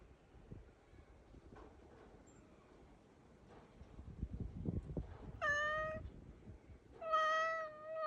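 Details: Black cat indoors calling intently toward a crow outside; two drawn-out harmonic meows near the end, the second longer and wavering, after several seconds of low rumbling background.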